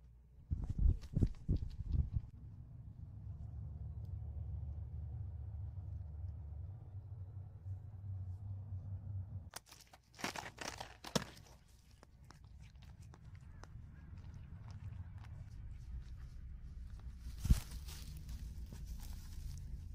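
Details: Guba Guba the cat purring, offered as a soothing sleep sound: a steady low rumble for about nine seconds with rustling handling noise, then scattered thumps and a softer purr resuming near the end.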